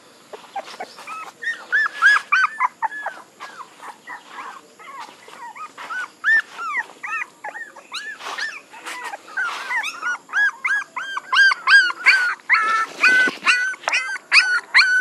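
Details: Several puppies whimpering and squealing almost without pause, a dense chorus of short high arched whines that overlap and grow busier and louder in the second half.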